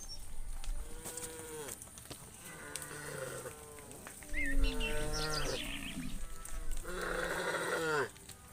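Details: A herd of tame cows walking a dusty road home to the barn moo in overlapping, drawn-out calls, some low and droning, others higher and strained.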